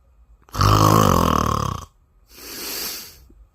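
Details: A sleeping Bengal cat snores: a long, loud, rattling inhalation with a deep buzzing low end lasts just over a second, followed by a softer, breathy, hissing exhalation after a short pause.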